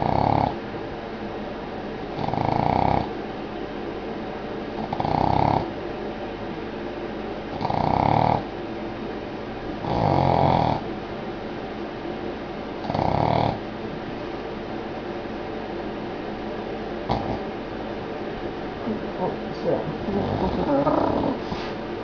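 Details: Boston Terrier named Poppy sound asleep indoors, snoring in broad rasping bursts roughly every two to three seconds, each swell loud and noisy, with quieter breathing between and a softer irregular stretch near the end.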